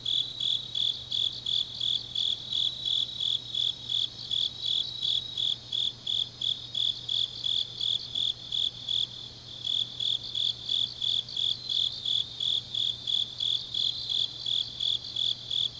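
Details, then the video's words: Deep-night autumn insect chorus from Changnyeong in South Gyeongsang, Korea: rapid high chirps repeating near three per second, briefly dropping out around the middle before resuming, with layered fainter callers and a low background hum. "깊은밤 가을 풀벌레 소리"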